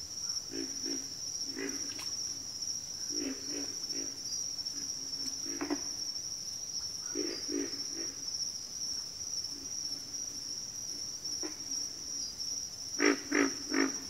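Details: Backwater frog chorus with clusters of deep, rough grunts, often two or three in a row and spaced unevenly. A constant shrill insect buzz carries on high above them, and a louder run of grunts comes near the end.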